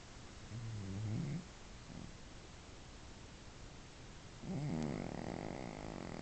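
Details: Sleeping domestic cat snoring very loudly; two drawn-out, low, rattling snores roughly three and a half seconds apart, with a faint softer breath between them.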